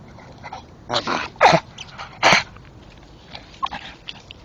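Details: Old English Staffordshire Bull Terrier, a male, making noises while gnawing a tree stump at night: three loud, rough, breathy grunting bursts about half a second apart, followed by quieter snuffles and chewing clicks.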